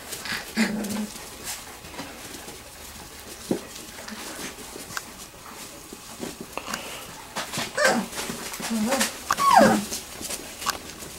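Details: Playful three-week-old Wirehaired Pointing Griffon puppies in a garage whelping box; scattered low grunts and scuffles give way to whining whimpers, one sliding down in pitch near the end.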